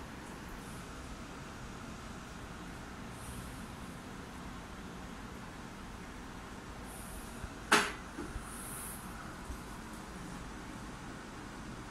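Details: Steady low indoor background hiss with a single sharp click near the middle and a couple of faint bumps afterwards; no animal voice is heard.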